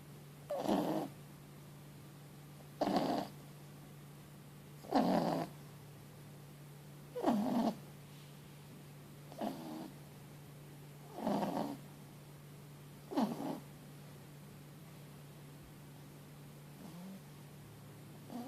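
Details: Loud, rhythmic snoring from Mochi, a four-month-old Boston Terrier and French Bulldog mix pup sleeping after a long day: about nine raspy breaths spaced near two seconds apart, softening toward the end, over a constant low hum.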